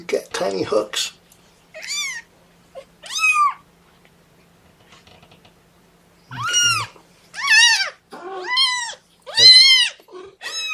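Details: Young kittens, one of Mama Seraphina's litter of four (3 boys, 1 girl), objecting to being pottied before weighing; loud high arched meows repeated in bursts, a human voice briefly at the start.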